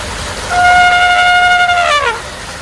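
An elephant gives a strong, horn-like trumpet, held level for over a second before sliding down at the end. Elephants use such trunk calls to communicate and to signal readiness to breed.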